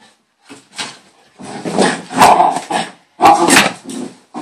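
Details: Bailey, a female dog in the middle of a hyper, excitable moment, lets out short harmonic growly barks in uneven bursts with brief silent gaps between them. Two louder peaks stand out near the end.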